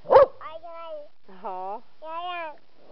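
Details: Puppies playing outside in autumn, squabbling and cross with each other: three drawn-out, tonal whining yelps, each arching slightly in pitch with bright overtones, spaced about half a second apart after a sharp click at the start.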